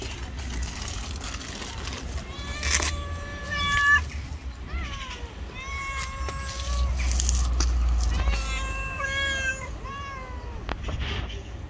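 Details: Angry, jealous white street cat meowing repeatedly: several drawn-out, tonal mews with stacked harmonics, some rising and falling, over low rumbling traffic and street noise, with brief clatters.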